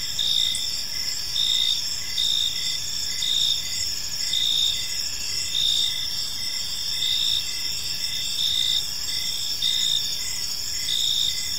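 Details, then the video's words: A chorus of park crickets on a calm evening: sustained high-pitched trilling with rhythmic louder pulses about once a second, several insects overlapping, plus a soft low background murmur. "Park Serenade: Cricket Sounds in a Peaceful Park"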